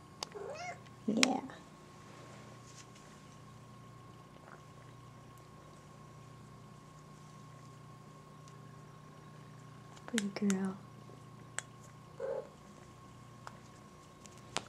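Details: Talkative female pet cat indoors giving two short rising-falling meows, far apart, while a woman talks to her softly and praises her; steady low hum underneath.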